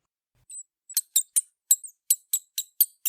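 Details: A big brown bat in spring, around the time bats wake from hibernation, gives one thin whistled squeak, then a quick series of high, dry squeaky chirps, about four per second, with no other sounds.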